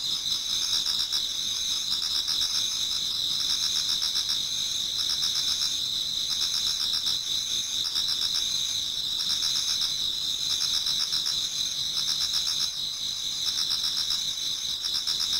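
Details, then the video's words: A garden in Japan before dawn in autumn, filled with many singing insects: high continuous trilling and quick pulsing chirps about four per second, steady throughout. "Autumn Insects voice Towards dawn"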